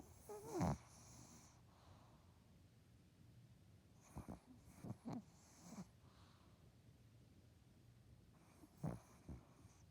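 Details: A dog snores in its sleep. Short nasal snorts and rasping breaths come at about 0.6, 4, 5 and 9 seconds, with quiet pauses between them.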